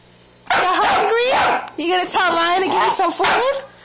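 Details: A female Staffordshire Bull Terrier puppy makes drawn-out, wavering whines and grumbles, demanding food because she is hungry.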